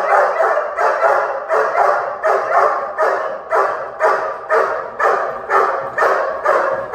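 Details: Dog barking during protection training, a steady run of loud, harsh barks repeated about twice a second, each bark broad and rough with little pause between, no other clear sounds.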